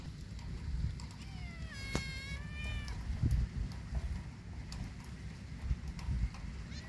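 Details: Kitten walking in a yard in rainy weather gives one clear, drawn-out meow that rises and then falls. Steady low rumbling noise runs beneath it throughout.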